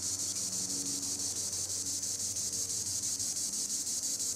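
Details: Treetop chorus of green annual cicada: an unbroken, intense high-pitched whirring with a regular pulse roughly twice per second over a quiet low rumble.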